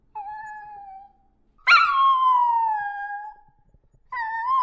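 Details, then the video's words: Dogs howling in sustained, even-pitched wails. A louder, higher howl breaks in and slowly glides downward for about two seconds before a further rising wail starts. "Dogs Howling Sound Effect"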